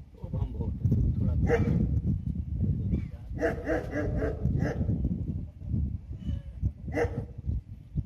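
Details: A German Shepherd mother nursing her ten pups, which give thin, high whimpering squeals over a steady low rumble of shuffling and suckling.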